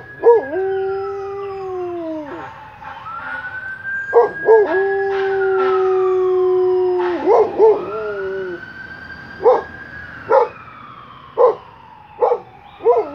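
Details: Pet dog howling in daytime, a sound that usually happens at night; long sustained howls that hold steady then dip, separated by short sharp yelps, with a higher gliding siren-like tone running alongside.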